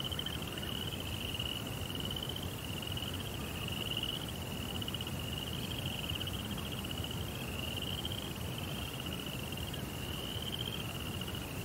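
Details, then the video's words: Nighttime cricket chorus in a Zen rock garden with a koi pond: high trills in repeated pulsed bursts, each around a second or two long with short breaks, over a persistent low rumbling noise. "Cricket Sounds"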